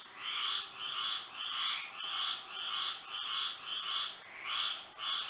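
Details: Moonlit night in Florida with frogs singing, loud pulsed croaking bursts repeating roughly twice a second, several callers overlapping, plus a steady high-pitched tone behind them.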